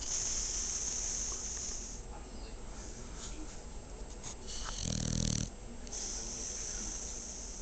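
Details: A sleeping dog snoring indoors: steady rough, rasping breaths repeated about four times a second, swelling into a louder, throatier snort near the fifth second before settling back to a low rumble.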